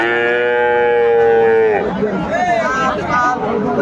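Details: Friesian bull calves at a Khulna market, Bangladesh, 25 September 2024: a loud, sustained, even-pitched moo lasting nearly two seconds, then people talking in the crowd.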